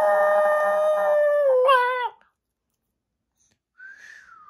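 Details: Pet dog howling in response to its owner whistling: a long steady tone with rich harmonics for two seconds, wavering and bending at the end, then silence before a brief fainter falling note.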